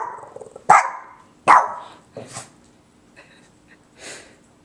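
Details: Boston Terrier giving two sharp barks followed by softer trailing yips, while a woman speaks nearby.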